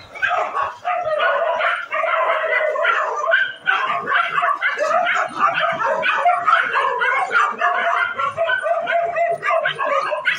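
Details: Street dogs in a fight, producing a continuous, dense tangle of snarling barks, yips and whimpering yelps that overlap with almost no pause throughout.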